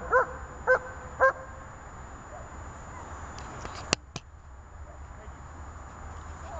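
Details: German Shepherd named Zhelya during IPO training gives three short, harmonic barks about half a second apart within the first seconds, followed by sharp clicks and a steady low background hum.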